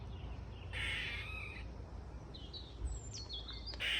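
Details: Squirrel calling from an Ash tree in a garden: a rasping, noisy call lasting under a second, then shorter scratchy rising notes and a final harsh burst, over a low background rumble.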